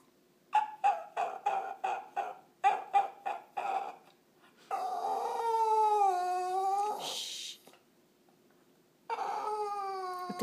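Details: Lucy the dog, indoors, wanting another dog's bone and a second treat: two bursts of rapid, evenly spaced barks, about five each, then a long, high whine that bends downward, and a second whine after a short pause.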